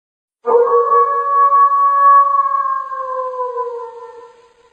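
A wolf gives one long, steady howl that holds its pitch and then sinks and fades.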